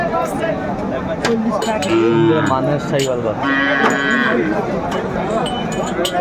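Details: Sahiwal bull at Aftabganj cattle market, Brahmanbaria, Bangladesh; a couple of low, droning moos around the middle, partly buried in market speech, clinking and crowd noise.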